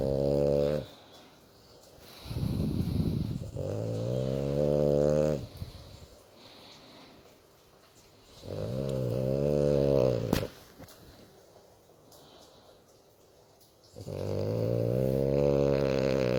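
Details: A female French Bulldog sleeps while being stroked, snoring happily in deep, rattling, rumbling breaths lasting a few seconds each, with gurgling pauses, soft snuffles and a brief tap between them.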